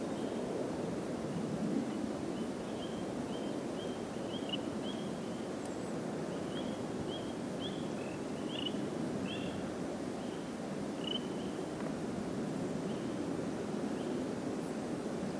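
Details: A Northern cricket frog in New Jersey gives a series of sharp, high clicks, with nearby spring peepers calling and overhead airplanes rumbling steadily in the background.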